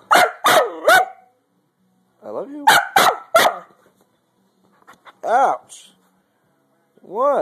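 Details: Zash, a pet dog, barks to ask for food at home: three sharp broadband barks, then a pause, a few softer barks, and long rising-falling whines near the end, with a person talking between them.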